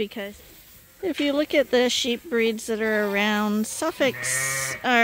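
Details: After a quiet start, lambs being bottle fed at Ewetopia Farms break into short bleats and one sustained, level cry, ending with a low buzzy call and a rising final bleat.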